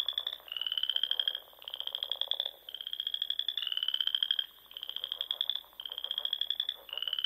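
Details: In the rolling dunes of Nebraska's Sandhills in spring, frogs sing at dusk: high, buzzy pulsed trills gently rising in pitch, in near-continuous bursts of about a second from overlapping callers.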